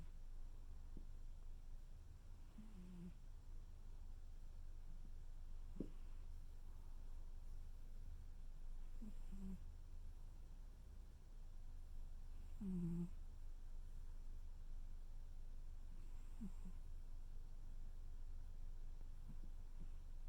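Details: Tuxedo cat snoring while cuddling indoors: soft, low, irregular snores with brief throaty bursts every few seconds over a steady low room hum.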